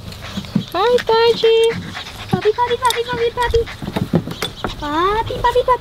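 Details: Silver Labrador Retriever puppies exploring a new playground, kept alongside Pomeranian puppies: several high, tonal whines, some rising and others held steady, follow one another over a few seconds, with soft rustling and scuffling between them.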